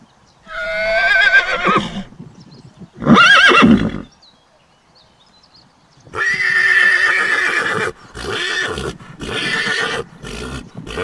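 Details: Young horse (colt) neighing: two whinnies with wavering harmonic bands, then a long broad rasping neigh broken into bursts over several seconds.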